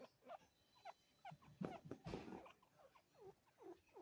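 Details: Two pet chinchillas, a father and son, calling to each other with quick repeated squeaky chirps sliding downward, some overlapping, with soft rustling and a brief noisy burst midway.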